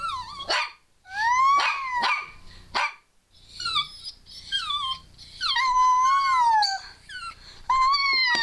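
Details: Scarlett, a female pet dog, vocalizing as if saying "I love you" while a person squeals to prompt her. Short rising whines followed by longer wavering, tonal howled phrases with gaps between, plus high squeals.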